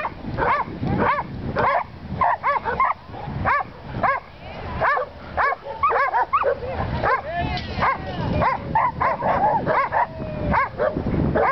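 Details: Welsh Corgi Willie on a first sheep-herding outing in Long Beach, California, barking in quick irregular bursts, often doubled or tripled, nearly two barks a second, with outdoor wind noise underneath.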